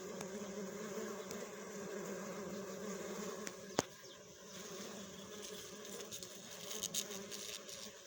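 Western honey bee giving a steady, low droning buzz that holds an even pitch throughout, with a sharp tap or click near the middle.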